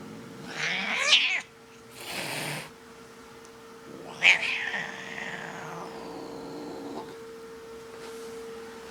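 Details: Domestic cat caterwauling indoors: two loud, harsh yowls that rise and then trail into long falling wails, with quieter breathy sounds between and a steady electrical hum in the background.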